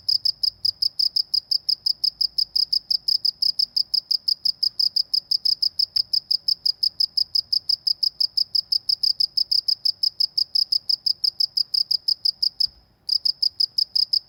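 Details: Cricket in the Indonesian countryside, chirping steadily in a rapid train of short pulses, about five per second, high and even, with one brief pause near the end; faint low background hum.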